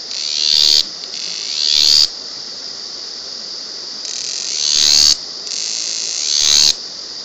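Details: Cicada recorded at close range, very loud for its small size: a continuous high buzzing drone broken by four rising, intensifying phrases, each ending in a sudden cutoff.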